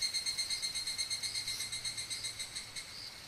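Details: Higurashi cicada calling in Okumikawa, Japan, a clear, bell-like high trill pulsing roughly three times a second with a gently wavering rhythm, slowly softening toward the end.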